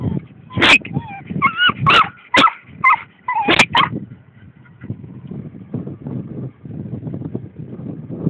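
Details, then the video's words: An excited English Springer Spaniel in a farmer's field gives a burst of high, wavering whines and yips over about four seconds, then falls quiet while rustling and footsteps continue. "Ole Gunnar Excited"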